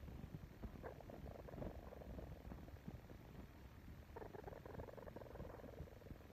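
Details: Young crab-eating raccoon nursing on a human pacifier: continuous rough, low purr-like rumbling, then a louder stretch of buzzy, nasal humming chirrs in the last two seconds.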